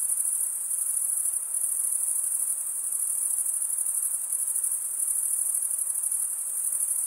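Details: Shrill, ceaseless trilling of crickets, the males chirping by drawing one wing's edge along the comb-like teeth of the other; the high buzzing band stays even across the whole stretch, with a soft hiss beneath.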